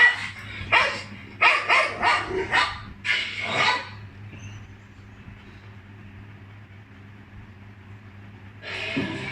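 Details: A dog responding to funny sounds barks in a fast cluster of five or six sharp, noisy barks over the first four seconds, falls silent, then lets out one more bark at the end.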